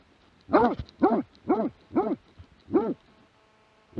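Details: Plott hound barking, 2017: five hoarse, arched barks spaced about half a second apart, with a short gap before the last one. Then quiet with faint background hiss.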